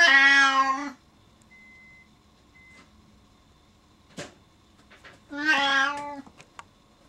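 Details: Indoor male Siamese cat left alone behind a door when a family member heads downstairs, meowing loudly to follow her; two long harmonic meows about five seconds apart, with faint clicks and knocks between them.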